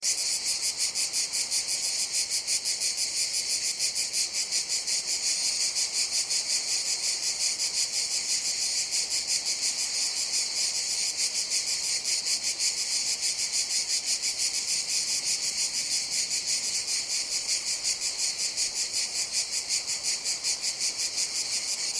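Cicadas fill the air with a continuous, high-pitched shrill buzz that pulses steadily.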